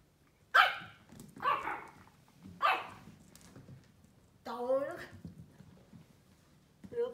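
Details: A Pomeranian puppy barking at a cat gives three sharp, high, yappy barks about a second apart, then a person speaks.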